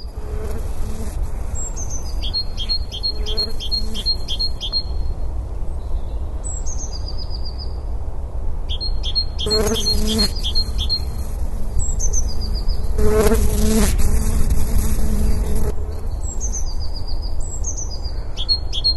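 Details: A western honey bee (Apis mellifera) collecting pollen among snowdrops in church grounds in Worcestershire gives a low, droning wing buzz that swells and fades, while a Great Tit sings in the background.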